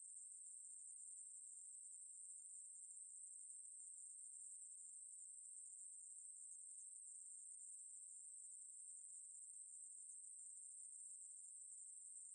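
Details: Ruspolia katydid song, recorded in 2020: one unbroken, steady, very high buzzing whine that holds an even pitch and loudness for the full twelve seconds, with no pauses or pulses and no other clear sounds.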